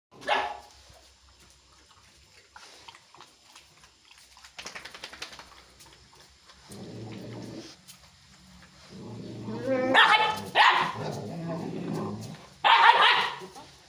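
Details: Chippiparai dog; aggressive bark; aggression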